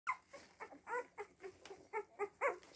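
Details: Seven-day-old Siberian Husky puppies indoors, a rapid series of short high whimpers and squeaks, about nine harmonic-rich yelps in under three seconds, each rising and falling in a quiet small room.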